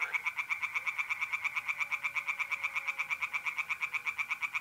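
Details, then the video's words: At night in mid-April by a pond in north-east Italy, a tree frog keeps up an unbroken run of loud, raspy pulses, roughly eight per second, with a faint mole cricket trill behind. "singing tree frogs in pond and trilling mole crickets by night"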